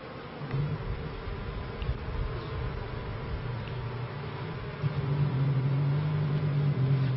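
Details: Honey bees in a 1994 bee yard: a low, steady buzzing hum that grows louder near the end, with a clear deep droning tone as bees fly close, over a background hive murmur.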